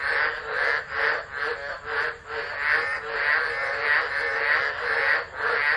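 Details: Tropical frogs singing during a tropical storm at Driver, Northern Territory, Australia, 13 December 2013, phone recording; overlapping croaking chorus pulsing roughly twice a second, uneven in rhythm.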